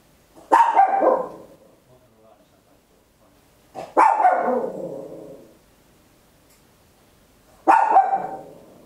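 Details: Small Papillon barking very loud indoors at home, captured on an Olympus LS-11 in stereo; three separate sharp barks, each tailing off, spaced roughly every three to four seconds with silence between.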